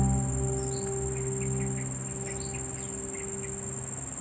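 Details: Male cricket (Nisitrus vittatus) song: a steady, high-pitched ringing trill with faint chirps and a low hum beneath, made by rubbing raised front wings together (stridulation) to attract females.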